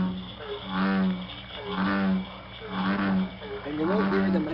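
Deep, resonant bass rumbles from an American bullfrog come in a steady series, each swelling and fading in roughly a second. Bullfrogs call late in the season, once water and air are about room temperature.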